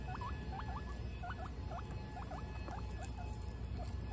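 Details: Guinea pigs eating pellets: short, hooked, squeaky notes sound in quick pairs and singles, about eight bursts across four seconds, over a steady low rumble.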